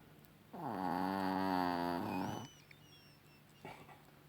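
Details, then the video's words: Evening snore from Chihuahua Rocky: a long, loud, vibrating buzz of nearly two seconds, followed by faint squeaky sounds and a short breath. "Chihuahua Rocky schnarcht"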